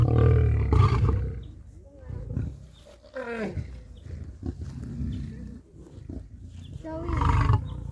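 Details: Lion roaring, which both males and females do to announce location, show strength and intimidate rival prides; deep booming bursts open and close the recording, with a man's voice talking in between.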